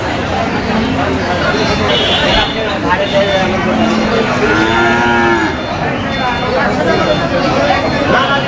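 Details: Cattle at the Moukhora bull cattle market on 31 August 2025. A low, drawn-out moo rises and falls near the middle, under steady crowd chatter and people bargaining over prices.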